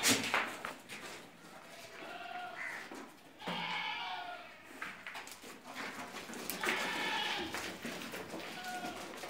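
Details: Barbari and Sojat does kept on a goat farm in Ajmer, Rajasthan, having kidded once or twice: several short nasal bleats from more than one goat over steady noisy background.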